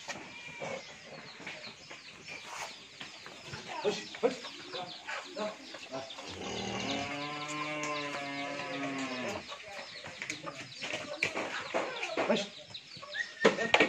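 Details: Pure Friesian heifer, 14 months old, at a dairy farm in Bhangura, Pabna, Bangladesh, gives one drawn-out low moo lasting about three seconds, its pitch arching up then down, over steady clucking chickens and bits of human speech.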